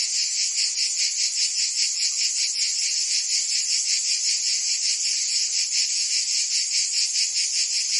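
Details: Cicadas chorus through a Provence summer in France, their sharp high-pitched buzzing unbroken and rhythmically pulsing several times a second, a uniform wall of insect song.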